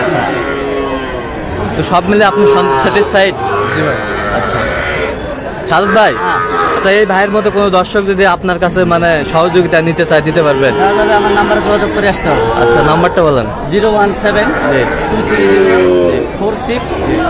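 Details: At a Kushtia sale on Friday 9 June, Sahiwal bull calves moo repeatedly in layered, harmonic calls, several animals at once, while men talk nearby over a busy background.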